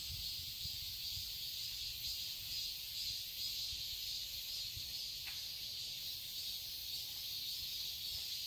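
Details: Cicadas in a summer garden in Seoul, Korea, forming a dense, hissing high-pitched drone that stays constant throughout, with faint low thumps in the background.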